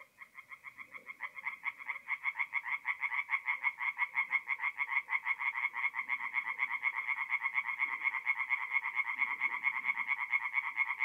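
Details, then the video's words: Tree frogs in full song at night on a forest pond in north-east Italy during mid-April, giving a rapid, rattling series of nasal croaks in close chorus, with soft low murmuring from other frogs beneath. "relaxing forest pond by night with singing tree frogs"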